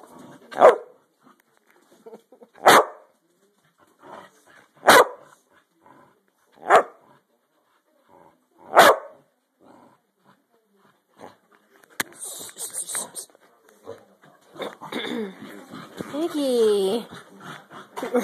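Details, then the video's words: Dogs playing: single sharp barks repeat about every two seconds for five barks, then a hiss of noise and a whining, wavering whimper with broken harmonics near the end. "Crazy Dogs playing"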